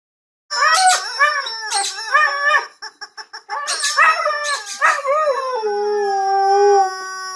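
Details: Husky howling in response to a squeaky toy: rising, wavering howls broken by quick squeaky toy pulses, ending in one long sustained falling howl.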